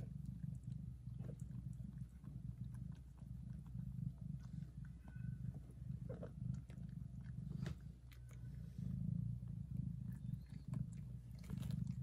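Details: Mother cat licks and nurses her newborn kittens while purring; a low rough rumble continues under frequent small licking clicks and rustles.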